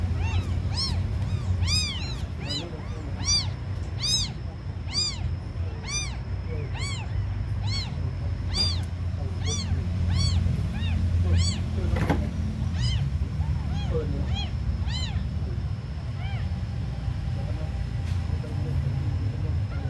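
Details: Several small abandoned kittens cry persistently, sharp high mews coming roughly once a second in an uneven stream, then thinning out toward the end, with a constant low mechanical rumble underneath.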